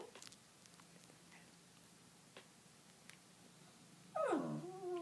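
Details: Indoor dog giving one short whine near the end, a tonal cry sliding downward with harmonics, after several seconds of quiet room noise with faint clicks.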